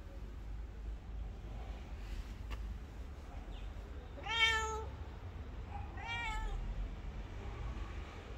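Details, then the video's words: Abandoned street cat begging for attention from a passer-by; two drawn-out harmonic meows around mid-clip, about one and a half seconds apart, against a constant low hum of street noise. "ABONDON STREET CAT || ASKING For Love"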